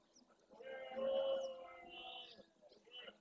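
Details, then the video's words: Breeding red deer stag at dawn in the Doñana National Park marshes, Andalusia, Spain, courting hinds and warning rival males off his territory and harem; a sustained, harmonic bellow swelling and fading over about two seconds. "Berrea al amanecer"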